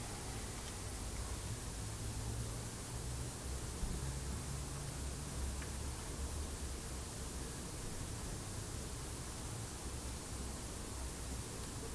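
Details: Dense, even hiss of broadband noise runs throughout, with no squeaks or other animal calls.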